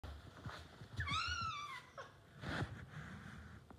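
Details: A neighbour's domestic cat indoors gives one clear, drawn-out meow that rises and falls, followed by a short downward sound and a softer muffled call, with faint rustling and low room noise.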